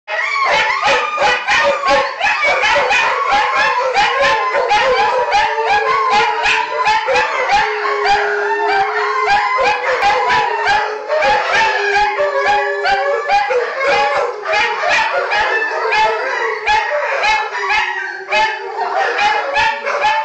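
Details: Nightly group howl by household dogs, including wolf hybrids Khan, Venus and Micah, shrill small black dog Taka, Dulce, and Pit/Boxer Scooby: dense overlapping wavering howls and yips, with sustained tones weaving through the chorus throughout.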